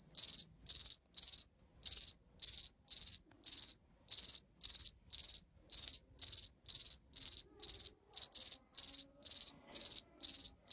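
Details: Crickets giving clear, high, pulsed chirps, each a tight burst of several rapid pulses. They come about two per second, with a short pause near the start and slightly uneven spacing later, over near silence.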